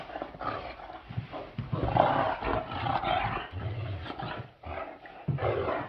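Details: Playful roughhousing between a male and a female Great Dane, heard as deep rumbling growls and harsh roar-like snarls in quick irregular bursts, with a short lull just before the final second.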